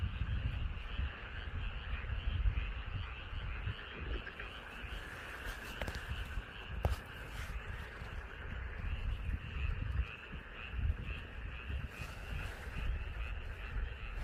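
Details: Rice-paddy frogs near a house in Korea keep up a constant chorus of overlapping pulsed croaks, partly masked by heavy low rumble and a few sharp clicks.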